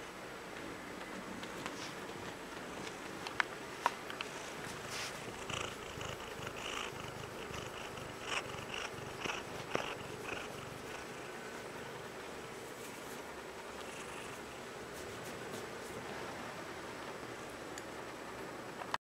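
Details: Morgoth Baron, a 9-month-old Bengal kitten, purring contentedly with his beloved pillow indoors; a soft, steady rumbling purr runs throughout, quiet and even, with a few faint clicks and rustles.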